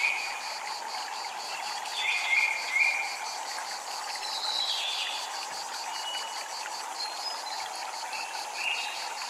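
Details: High rhythmic cicada pulsing at a Japanese temple, steady throughout, under soft chime notes and a continuous murmur of water.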